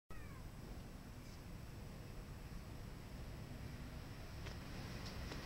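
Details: A neighbourhood cat near the artmania cafe gallery in Yokohama gives a single short, falling meow right at the start, then stays quiet over a steady low rumbling background hum with a few faint clicks.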